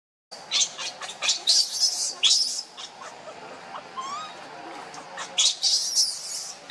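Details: Baby monkey named Leo crying and begging its mother for milk; high, shrill squeals in short bursts, some sweeping down, irregular with brief pauses, plus a faint low slurred note midway.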